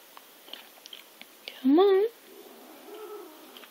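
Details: Pet cat Zip (Mei Mei), resisting being removed from its laptop perch, lets out one strong rising-then-falling meow after some soft tapping sounds, followed by a faint shorter murmur in a small room.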